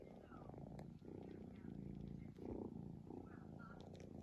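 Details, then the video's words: Sleeping cat snoring steadily, a low rough rumble rising and falling in long breath swells about every second, with faint higher squeaky tones drifting above. "cat snoring"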